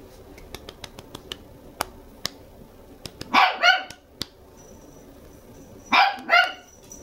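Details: Two-month-old red female Toy Poodle puppy indoors in Machiya, Arakawa, Tokyo. It gives two short paired bursts of high, sharp yapping barks about three seconds apart, with scattered clicks and taps in between.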